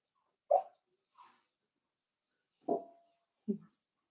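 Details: Four-week-old Cavalier King Charles Spaniel puppies in an indoor puppy pen, being socialized with other dogs and offered puppy mash; four short, sharp whimpering yelps spread over four seconds, one trailing into a brief thin tone, in an otherwise quiet room.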